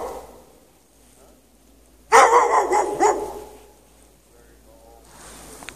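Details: Chained in the snow without shelter on a March 2014 night, a dog barks after hours of calling. There is one dense burst of several quick, harsh barks in the middle, with faint background noise before and after it.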